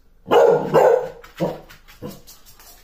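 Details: Pet basset hound, recorded in 2022, gives two loud, drawn-out deep barks in quick succession, then two shorter, fainter barks about half a second apart, all inside a quiet room.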